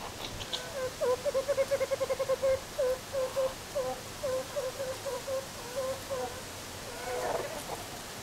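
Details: Meerkats in captivity at Zoo Rostock, Germany, in July 2014, playing and relaxing, recorded on a Sony HDR-CX550 camera; a run of short mid-pitched peeping calls repeats about twice a second for five seconds, then a brief scuffling rustle.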